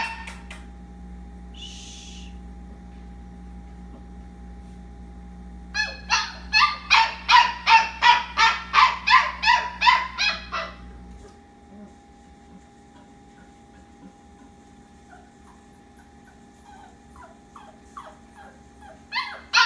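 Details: Labradoodle puppy whining at bedtime before hushing down to sleep: a quiet stretch, then a five-second burst of rapid, high yelping cries about three per second, fading to near silence with faint rustles.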